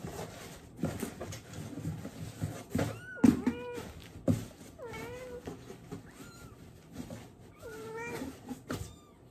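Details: Domestic cat meowing while its diaper is changed indoors, giving about five drawn-out, wavering meows with rising and falling pitch, spaced irregularly across the clip, alongside handling noises, rustling and knocks.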